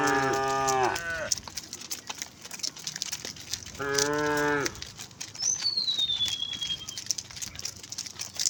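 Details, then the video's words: Resident cows wandering calmly on a village road moo twice, a harmonic call about 1.3 seconds long and a second under a second later, with a thin descending whistle from a bird in the background. "a group of cows wandering on the road, resident cows, the sound of cows mooing"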